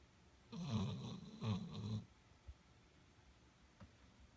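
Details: Sleeping Golden Retriever gives a low, rattling snore lasting about one and a half seconds, pulsing in a few throbs, then quiet breathing with faint clicks.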